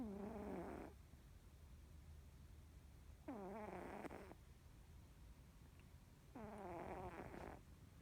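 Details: Norwegian Forest Cat snoring loudly in deep sleep; three long, rough, wavering snores about three seconds apart, each lasting close to a second, steady and rhythmic.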